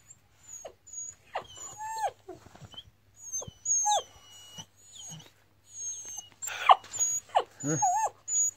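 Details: Kangal puppies whimpering: thin, very high whines held in steady tones, broken by short squeals and sliding cries that drop in pitch, with a louder burst of yelps toward the end.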